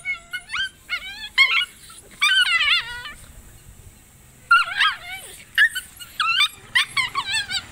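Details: Little Indian desi puppies fighting: rapid bursts of shrill, wavering yips and squealing whimpers, rising then falling in pitch, come in quick clusters separated by short pauses.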